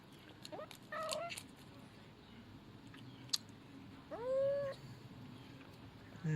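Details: Young male kitten making two brief high tonal mews near the first second, then a longer rising, bending meow around four seconds, over a quiet room hiss.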